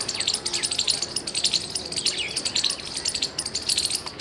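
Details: Squirrel giving loud chirps, 17 February 2021: steady rhythmic runs of piercing, high, rattling chips in short bursts, with a few thin downslurred bird calls mixed in.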